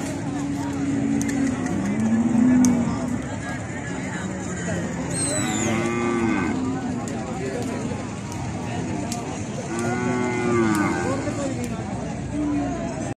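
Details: Cattle during a mating encounter, giving three drawn-out, harmonic moos spread across the recording, with the middle and last calls rising then falling in pitch over a steady rushing background noise.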